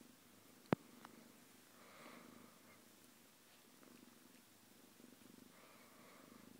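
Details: Domestic cat purring indoors while getting along with another household pet; a quiet, low continuous rumble with faint rhythmic pulsing throughout, one sharp click near the start and soft rustling sounds.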